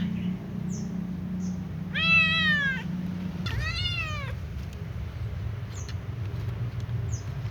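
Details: Little ginger cat near a catnip plant, avoiding food, gives two drawn-out harmonic meows in quick succession, each arching then falling, with low hum and faint chirps in the background.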